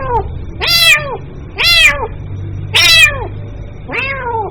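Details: Kitten meowing to call its mother: four loud, strongly harmonic meows, each rising then falling, spaced roughly one second apart, over a low steady hum.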